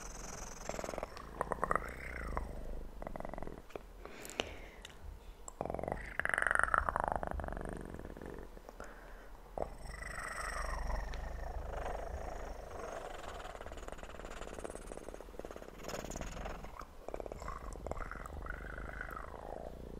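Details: Kitten purring in a close, quiet recording made to help sleep: a continuous soft low rumble runs throughout, overlaid with intermittent rustling, brushing and swishing handling noises and occasional sharp taps.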